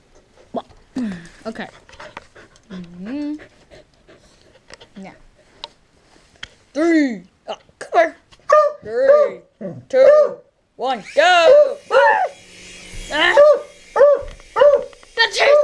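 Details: Pet dog reacting to a helicopter: people counting down and talking at first, then a steady series of high, yelping barks roughly every half second to second, growing louder toward the end.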